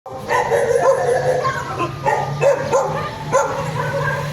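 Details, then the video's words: Several dogs gathered around garbage, giving short overlapping barks and yips at a steady pace over a constant low hum and background noise. "The sound of dogs at the garbage"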